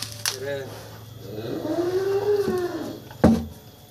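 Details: Cattle at a smallholder farm in Grabag, Magelang, during a weight check: one long, low moo swells and falls away over about two seconds, with a sharp knock just after and faint background clatter.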